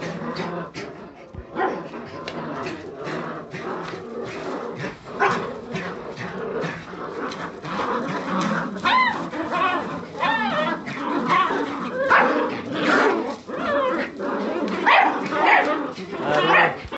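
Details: Several Jagdterrier puppies at a kennel squabbling and calling at once: rapid high-pitched yelps and wavering whines over steady low growling, busy overlapping noise with frequent short bursts.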